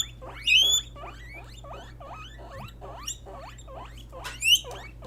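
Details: Female pet guinea pigs (Peruvian, English and Teddy) call out to signal what they feel. Hook-shaped, rising squeaks repeat about twice a second, with two louder, higher squeals near the start and end, over a faint steady hum.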